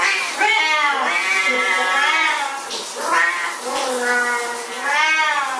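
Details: Siamese cats at shower time, crying in long, plaintive, slightly wobbling meows, roughly one per second, with some cries stretched out and overlapping.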